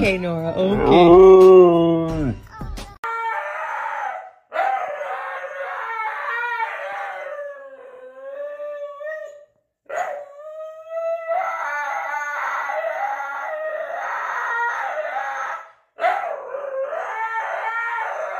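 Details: Siberian Husky being dramatic indoors: a loud breathy outburst, then a run of wavering, talking-like howls and yodels that bend up and down, separated by short pauses, with faint background music.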